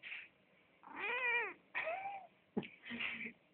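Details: Indoor house cat, disturbed while trying to sleep in front of a heater late at night, gives drawn-out wavering meows with rising-then-falling pitch, several in a row, a short chirp between; phone recording in a small room.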